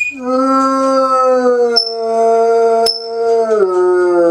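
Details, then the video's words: A Bloodhound, left home alone while its owner is out, gives a long, sustained howl with rich harmonics, dropping slightly in pitch near the end. "Bloodhound Howling"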